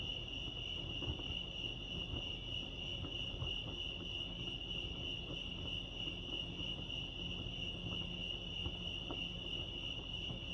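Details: Crickets chirping at Lake Arrowhead, California: a steady, shrill, high trill held without a break through the whole stretch, with a soft rumble and faint scattered clicks beneath.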